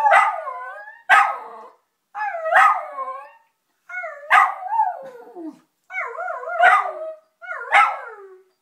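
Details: Domestic dog Teddy, annoyed with the answering machine, gives six separate howling bursts, each opening with a sharp yelp then sliding and wavering downward, spaced about every 1.3 seconds with short silences.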